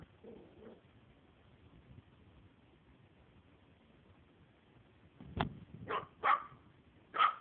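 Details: Indoor play of a four-month-old Maltese puppy, female: a soft whine early on, a quiet gap, a thump, then three sharp, high barks in the last two seconds.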